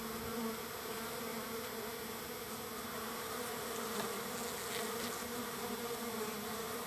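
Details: Many wild bees gathered at a feeding spot on the third day of being fed, making a steady, dense buzzing drone with a low hum and a higher overtone, holding even throughout with no other clear sounds.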